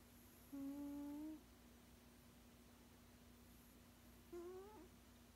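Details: An elderly male cat, sixteen years old, snoozes indoors and makes two smooth humming snores, the first nearly a second long and the second shorter and slightly rising. A constant low electrical-sounding hum lies beneath.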